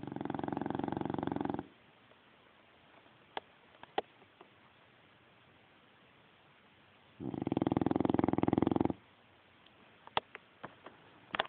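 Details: Sleeping dog snoring: two long raspy breaths, each about two seconds with a fine rattling flutter, separated by a quiet pause of roughly five seconds, with faint clicks in between.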